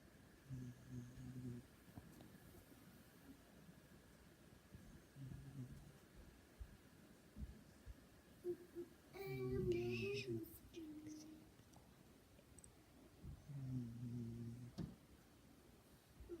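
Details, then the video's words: Sleeping cat snoring indoors: low, rough, droning breaths recurring at intervals of a few seconds, with a brief squeaky higher noise near the middle and soft room background. "Snoring cat"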